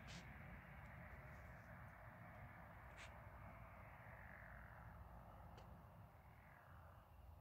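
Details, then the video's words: Frogs or toads calling together in a chorus under the moon, a dense, steady buzzing trill holding through the whole stretch, with a few sharp clicks near the start, at three seconds and later on. "Frog/toad symphony with moon reflection"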